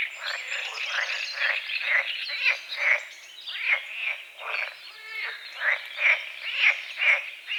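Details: Morning frogs on a small lake at the forest edge, croaking at dawn in fog: loud, raspy croaks pulse steadily about twice a second, rising and falling in waves, with faint bird chirps behind.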